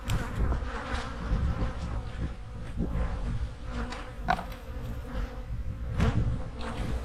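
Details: Honey bee hives humming in autumn while being prepared for winter: a steady low droning buzz with faint sustained tones, broken by scattered soft knocks and clicks from hive work.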